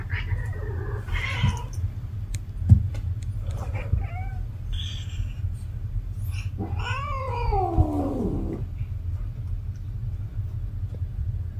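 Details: Cat in heat calling indoors: a few short harmonic mews early on, then a long drawn-out wavering yowl that rises and slides down over about two seconds, with a steady low hum underneath.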